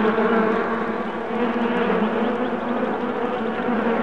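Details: Continuous droning hum of honey bees, July 8, 2016, a thick even buzz of many insects with strong low bands and no other clear sounds.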